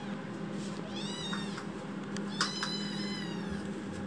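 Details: Foster kitten Chitchi after waking: a few faint wavering meows partly masked by steady room noise and hum, with a couple of soft taps.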